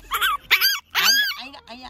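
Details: Pekingese puppy outdoors early in the morning, bustling about; three quick bursts of high, wavering whines rising and falling, followed by two softer, lower short sounds.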